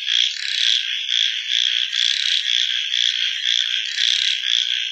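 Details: Many frogs croaking after dark, a high, buzzy chorus that surges in rhythmic bursts about twice per second without pause.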